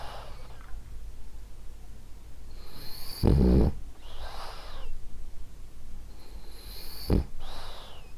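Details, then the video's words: Ariva, a French Bulldog, snores gently in her sleep; two rattling low snorts stand out among softer airy breaths, with a faint whistling hiss as she exhales. "Cute Snoring French Bulldog"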